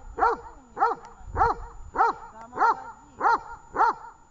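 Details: Dog named Tash barking at a training session in Horlivka, 18 August 2019: seven clear, evenly spaced barks, roughly one every 0.6 seconds, each a bright arched yelp with rich overtones, over a quiet background.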